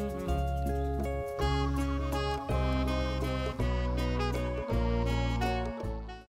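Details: Cheerful instrumental music with bass notes and chiming tones, and no animal voice heard.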